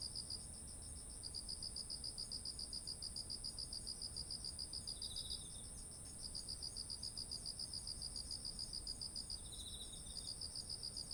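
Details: Autumn insect chorus beside ripe rice fields, recorded on a ZOOM H1essential: crisp high chirps repeat several times a second in long runs broken by short gaps. Two brief lower buzzes occur, and a constant shrill trill persists throughout.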